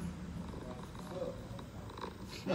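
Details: Low, continuous purring from a homeless mother cat with her kittens on an Istanbul street, a soft rumble with little variation, while quiet Turkish voices murmur nearby.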